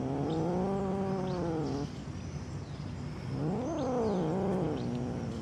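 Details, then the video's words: Angry domestic cat giving two long, low, wavering yowls, the first held steady then sagging, the second rising and falling in a warbling growl-like moan after a short pause. "Angry Cats Meowing"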